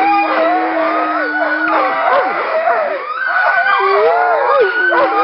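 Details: A chorus of Alaskan Malamutes from the Nordiclight kennel, recorded February 2012 at a little run. A low sustained howl runs through the first two seconds while several higher voices rise, fall and waver over one another continuously.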